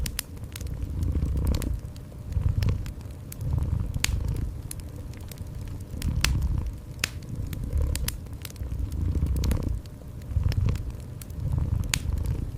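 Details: Gentle purring of a cat set against a warm fireplace, a low throbbing rumble rising and falling about once a second, with frequent snapping crackles of burning wood throughout.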